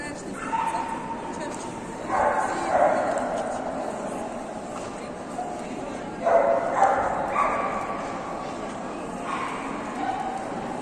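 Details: Indoor single-breed Golden Retriever show, Yekaterinburg, 19 December 2021, junior male class judging: loud clustered barks come in three bursts roughly four seconds apart, over a constant murmur of people talking in the hall.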